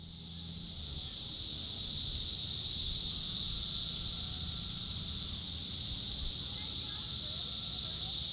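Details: A Magicicada cassini (Cassin's 17-year periodical cicada) of Brood IV, filmed close at its tymbal through an upswept defective wing, June 5, 2015, Shawnee Mission Park, Kansas, gives a loud, steady, high-pitched buzz with faint rapid pulsing.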